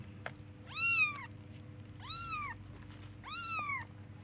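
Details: Baby kittens looking for and calling their mother: three arched meows, rising then falling with bright harmonics, about one every 1.3 seconds, over a steady low hum.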